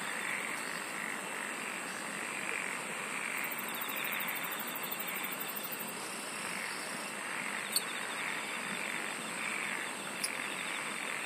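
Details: Chorus of singing insects forming a constant buzzy hiss, a rapid high pulsed trill rising for a few seconds mid-way, and two brief clicks standing out near the end.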